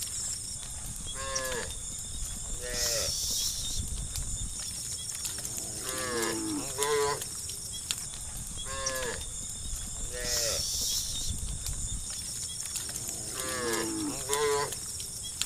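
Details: Herd of cows moving down a road in the evening, calling friends home to the barn; several shorter, wavering moos at varied distances, roughly eight a minute, amid clattering hooves and broadband hiss.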